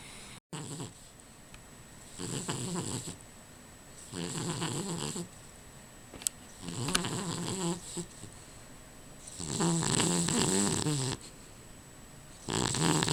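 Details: Rufus, a dog, snoring while asleep: rough, rasping breaths of about a second each, returning every two seconds or so, some louder and wheezier than others, over a faint steady hum.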